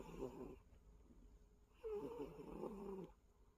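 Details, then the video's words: A pet cat snoring indoors: two rough, raspy breaths with a steady low tone running through them, separated by a short quiet pause. "코골이하는 야옹이"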